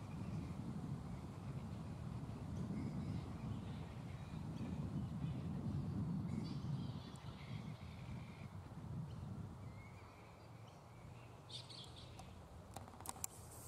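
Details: Mid-morning at a black flying fox roost where the bats are still restless: scattered raspy, harmonic squabbling calls come in loose clusters, loudest partway through, with a steady low-pitched background roar and a few sharp clicks near the end.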